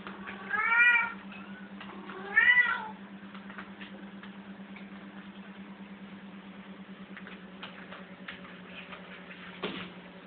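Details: Indoors, playing cats give two clear, strong meows about two seconds apart. Quieter rustling and light knocks follow over a constant low hum.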